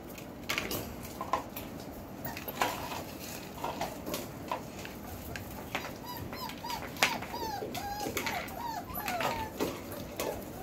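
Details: Belgian Malinois puppies from the Beastie/Barron litter, four weeks and four days old, born 26 September 2021, give a run of thin, bending whines and whimpers in the second half, amid clattering and knocking sounds.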